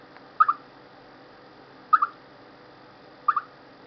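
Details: Before bad weather, a chipmunk repeats a clipped two-note chirp three times, roughly every one and a half seconds, at a steady mid pitch over low background hiss.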